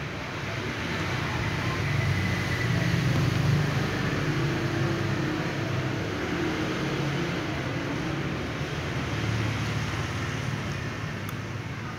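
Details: A steady roar of road traffic and passing vehicles fills the whole recording, swelling slightly in the middle.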